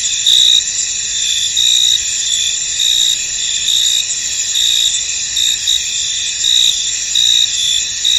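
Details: Chorus of crickets in a fog-covered field, a dense high shimmering buzz overlaid with short bright chirp bursts recurring roughly once a second, steady and unbroken throughout.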